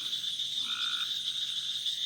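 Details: At a pool on a family farm in Smithville, Mississippi, at night, a green tree frog gives a brief nasal call over a steady high-pitched chorus of several other frog species, with a bullfrog also calling nearby.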